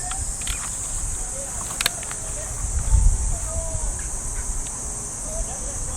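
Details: Early summer morning in a Japanese park: a constant shrill cicada drone from the trees, over low rumbling footsteps and faint radio calisthenics sounds far off.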